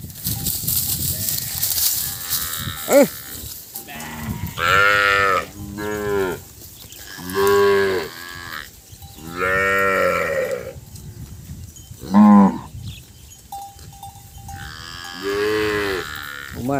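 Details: Many cattle calves crying together for their missing mothers: a run of loud, wavering, strongly harmonic moos of varied length, some rising then falling, coming every few seconds, with a short steady tone and scattered background noise.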